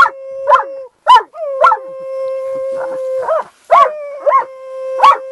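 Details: Cleo, an Irish Wolfhound, howls beside horses in July 2013 after her owner starts her off; a steady sustained tone runs throughout while short rising-and-falling yips punctuate it roughly every half second.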